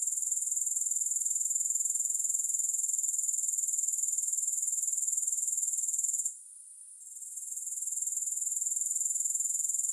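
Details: Grasshopper chorus, no music: a continuous high, hissing trill with rapid regular pulses, roughly four per second, cutting out for under a second late in the clip and then fading back in.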